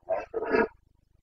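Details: Carpathian red deer stag during the breeding season rut (boncănit) in the Bucovina mountains, 29 September 2022: two quick hoarse roaring bursts, the second longer and fuller, then quiet.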